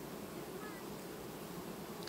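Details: Honey bees of a colony peacefully superseding their queen in August 2019 keep up a thick, level humming drone; a faint thin whistle-like tone passes briefly early on.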